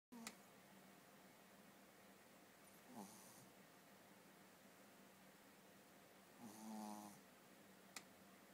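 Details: Shih Tzu named Dolly asleep indoors, giving soft, faint snores: three short snorting breaths spread over several seconds, the last one longer and rattling, with a low steady room hum beneath.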